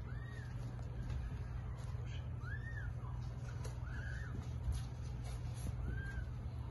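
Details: Domestic cat giving birth to eight kittens; thin, high arched mews rise and fall, four of them spaced roughly two seconds apart, over a steady low hum.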